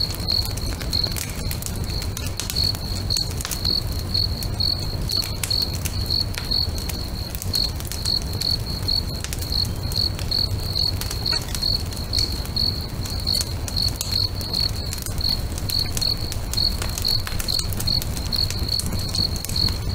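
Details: Crickets at a lakeside at sunset chirp in a continuous train of short, high, evenly spaced pulses, while a bonfire pops and crackles loudly underneath with a soft low roar.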